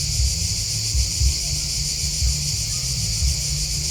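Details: Crickets chirping in a steady, dense chorus: a continuous high shimmering trill with a fine pulsing texture, over a low rumbling background hum.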